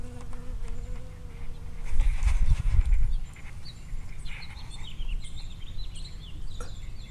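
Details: A single bee visiting strawberry blossoms in a field, 19 June 2011, recorded 5 cm away or closer. A steady harmonic buzz fills the first two seconds, followed by a loud rumbling thump and a few bright chirps from birds in the background.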